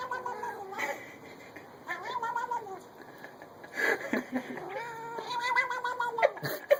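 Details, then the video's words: Domestic cat making a strange sound: a string of drawn-out, bending meows and yowls, some falling in pitch, mixed with clicks, rustles and short noisy bursts. "Cat's strange sound"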